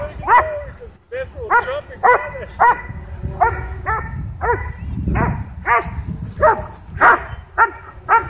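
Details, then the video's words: Frenzied dogs chasing a DJI Mavic 2 drone at a dog park bark in a rapid, uneven string, nearly two barks a second with some yelping upward inflections, over a steady low rumble. "DJI Mavic 2 Drone Whips Dogs Into Wild Frenzy At Dog Park"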